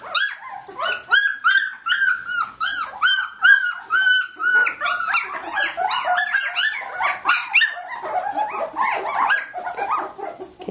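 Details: Samoyed puppies on day 19, indoors, up and playing excitedly: a dense run of high, sharp yips and squeaky barks, many overlapping, pitched and arched, nearly continuous for the whole stretch in a small room.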